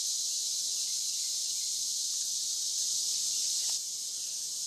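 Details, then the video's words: Overnight cicada chorus beside the Licking River, Morning View, recorded between dusk and dawn: a constant piercing buzz, very even in pitch, dropping a little in volume near the end. "Cicada to Cicada - a 12 hour accoustical journey on the Licking River in Morning View"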